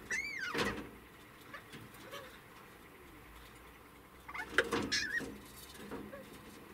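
A degu gives sharp, arching squeaks and chirps, guarding its food.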